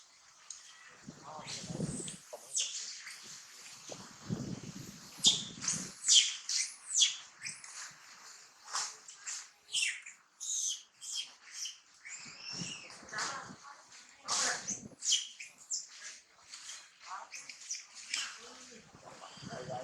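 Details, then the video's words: Baby monkey denied milk by its mother Challina, screaming in quick repeated shrieks, roughly one a second, harsh and high, with a few lower grunting sounds at the start. "baby monkey screaming cry when mother Challina doesn't provide milk"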